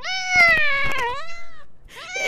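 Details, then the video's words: Little cat meowing indoors: a long, drawn-out meow with rich harmonics that slides gently downward over about a second and a half, then a second rising meow begins, with a few soft thumps underneath. "Little cats cute and funny videos"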